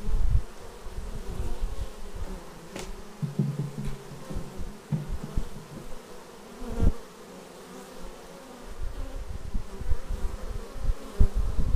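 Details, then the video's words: Bees arriving at their beehive, filmed on a Xiaomi Yi action camera: a steady low hum of many wings with droning bands, louder swells as insects pass close, and a few sharp knocks near three and seven seconds. "Bees arriving at hive"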